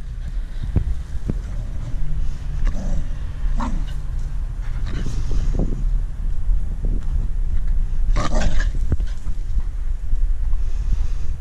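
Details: Female Staffordshire Bull Terrier guarding her stick, a low rumbling growl that swells and fades in waves over several seconds, with scattered clicks and brief handling noises and a louder burst near the end.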